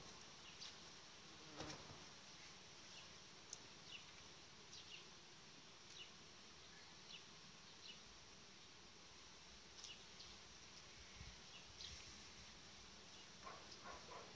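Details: A queenless honey bee colony, its emergency queen cells destroyed the day before, gives a steady, agitated buzzing roar in a last attempt to save itself before laying workers take over.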